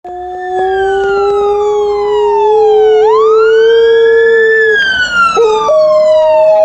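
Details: Female Alaskan Malamute howling her lungs out during her noon walk: a long, steady, loud howl rising slightly in pitch, a brief break, then a second howl, with sliding, wailing high tones above.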